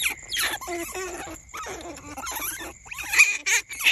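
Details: Hand-reared baby smooth-coated otter pups, kept without their mother, give high, thin squeaks and chirps in quick, uneven bursts.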